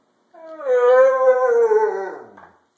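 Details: Alaskan Malamute or Siberian Husky; talking howl; answering its owner's questions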